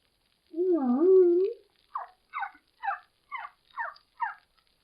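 A humpback whale sings a long, low moan that wavers up and down, followed by six brief, higher squeaks, each dropping in pitch, with short silences between. Humpbacks are thought to sing like this to draw the attention of possible mates.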